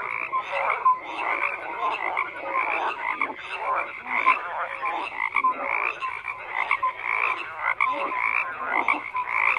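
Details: Numerous frogs croak over one another, a busy wall of rasping, rattling calls with occasional brighter piping notes.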